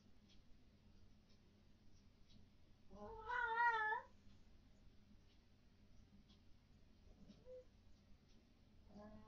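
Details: Domestic cat at night indoors, vocal about what the owners call ghosts: one long, wavering, drawn-out meow near the start, then faint short calls later, over a quiet background hum.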